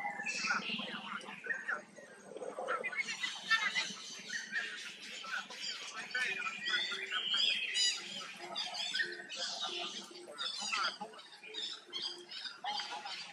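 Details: Hurt baby monkey struggling to pull free from a forced companion, giving high-pitched squealing cries in repeated bursts with sweeping, wavering tones, some rising then falling, over thirteen seconds.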